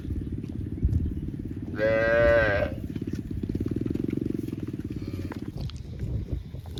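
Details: Cow letting out one loud, rich moo of about a second, with a low, pulsing engine-like throb running beneath and after it.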